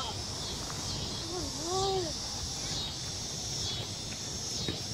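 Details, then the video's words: Noisy crickets: a steady, shimmering high-pitched trill runs unbroken throughout, with a brief lower whistled sound that rises and falls twice near the middle, over faint low background rumble. "Noisy Crickets"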